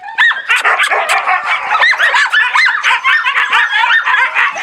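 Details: Husky and laika puppies calling loudly on 4 June 2016, many voices at once: rapid high-pitched yips and short rising-falling howls tumbling over one another in a constant noisy chorus.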